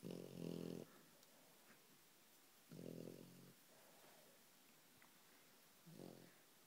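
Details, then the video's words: French Bulldog snoring in its sleep with its eyes open; three low, rasping, harmonic snores, each close to a second long, come roughly every three seconds, with a quiet breathy hush between them. "French Bulldog: Brandon snoring"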